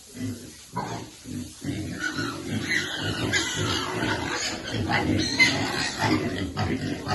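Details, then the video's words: Pig nursing piglets near water: rapid, low, rough grunts repeat over and over in a steady chorus, while faint human voices sit in the background. "Pig's favorite water, and feeding lovely piglet every day."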